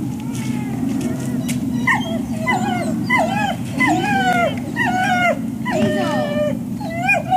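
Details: Dogs at the Service Dog Project in Ipswich, Massachusetts, USA, waiting at breakfast time on 14 October 2017: a run of high, bending whimpers and yips, rising then falling, repeated about every half second over a low background hum.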